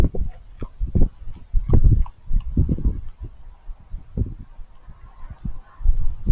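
Crunching and smacking from a feeding raccoon, the bites landing in short irregular bursts. Low thumps and rustles mix in between the sharper crunchy snaps.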